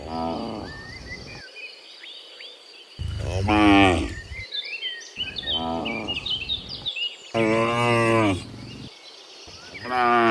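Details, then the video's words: Cattle heading back from the field to their pen in the morning. Five moos of mixed length, some short and some drawn out and strongly tonal, come at uneven intervals over steady bird twittering. "Sound of Moo Cows in the Morning, Returning from the Field to the Pen, Sound of Cows"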